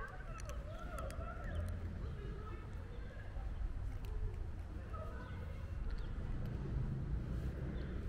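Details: White stray cat with beautiful eyes, running up to a person on the street, gives several drawn-out, wavering meows that rise and fall, over a steady low rumble of traffic and faint clicks.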